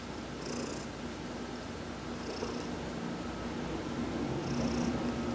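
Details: Purring from Heidi, a cat being massaged during a sun bath on November 19, 2020: continuous soft low rumble, growing slightly louder near the end, broken by brief high airy bursts every couple of seconds.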